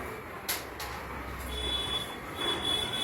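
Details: Low background hum with scattered clicks and a steady high electronic beep that sounds through the second half.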